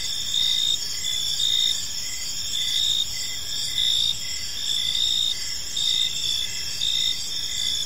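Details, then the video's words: Park crickets at evening: a shrill, steady trilling chorus with stronger chirp pulses arriving roughly once a second, about 56 per minute, slightly irregular, and soft low ambient rumble underneath. "Cricket Sounds in a Peaceful Park"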